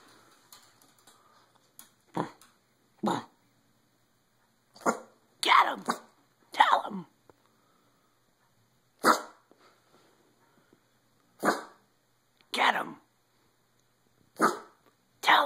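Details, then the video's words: Boston terrier barking with sneezes mixed in, indoors: short sharp broadband barks at irregular intervals of one to two seconds across fifteen seconds, while a person repeatedly urges it on with "Get him! Tell him!" "boston terrier sneeze barking"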